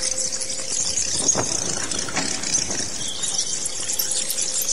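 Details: Bat calls: a dense, continuous chatter of high, thin squeaks that overlap throughout, with a faint low steady hum underneath.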